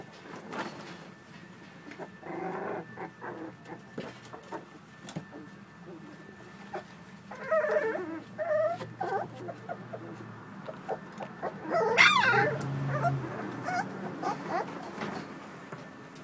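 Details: Playing American Bully puppies make frequent whimpers, yelps and low play growls, with a louder squealing burst near the twelve-second mark amid scuffling sounds.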